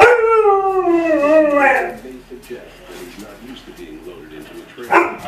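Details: Malamute puppies vocalize about snow on spring's first day, following a long, fairly dry winter. A loud, wavering howl-like 'talking' call slides downward over about two seconds, then quiet rumbles, ending with a sudden brief yelp.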